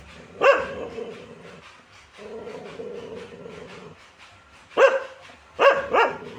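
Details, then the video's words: Dog barking in single sharp barks and a closing pair, irregularly spaced over several seconds, with a low steady hum in the background. "dog original sound"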